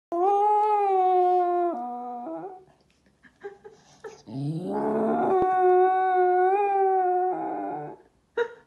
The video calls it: Cocker Spaniel moos like a cow